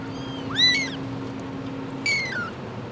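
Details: Abandoned kitten rescued from two days in -11°C snow cries twice, a quick arched meow then a longer falling one, with a low electrical hum that stops midway.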